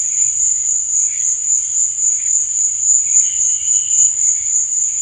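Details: Crickets at night: a steady, high, shrill trill that runs unbroken, with a gently pulsing loudness and faint lower warbling chirps drifting in and out underneath.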